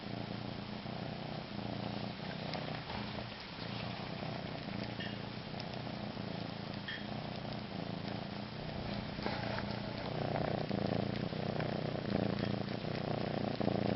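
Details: A cat gives a long, steady purr, a low rumbling drone with a slight rhythmic pulse that grows a little louder toward the end, recorded indoors.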